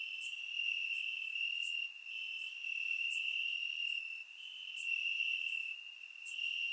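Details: Warm summer night in Bulgaria, crickets in the grass keep up a continuous high-pitched trill, broken by short dips every couple of seconds, with faint brief chirps from other crickets higher up; captured by surround microphone.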